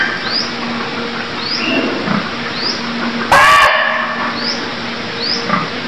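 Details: A single short, rasping cry from a deer in Cambodia. Thin rising chirps repeat about once a second in the background over a steady hiss.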